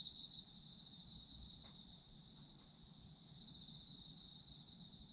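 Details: Several autumn insects sing a constant high-pitched ringing trill, with rapid beaded pulses rising in short bursts; a faint click near the middle and soft low noise behind.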